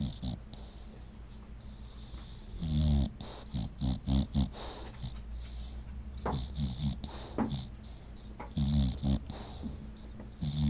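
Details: Female bulldog asleep indoors, snoring in rough, rattling bursts: clusters of short, deep, gurgling pulses recurring irregularly through the recording against a low steady room hum.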